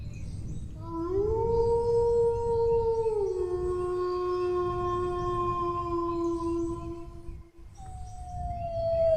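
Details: Dog howling in a long sustained tone, first rising then holding steady, dropping slightly in pitch midway, with rich overtones; a brief break near the end before a second, slowly falling howl begins.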